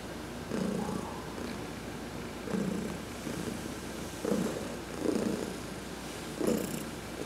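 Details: Sunbathing adopted cat Heidi purrs while massaged, November 19, 2020, in a pulsing low rumble with breath-paced swells, a few brief rough accents and a faint high click near the end.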